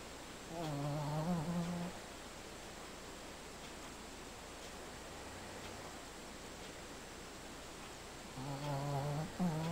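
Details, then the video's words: Pet dog sleeping and snoring indoors: two drawn-out, low, tonal snores with stacked overtones, one near the start and one near the end, separated by a long quiet stretch of faint room hum. "Snoring and Sleeping Dog"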